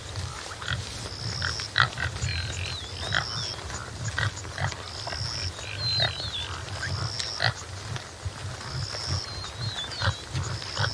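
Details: Topi (Damaliscus lunatus jimela) giving deep, low grunts in uneven bursts, some close together and others spaced out, while birds whistle in the background: long steady high notes and thin wavering phrases.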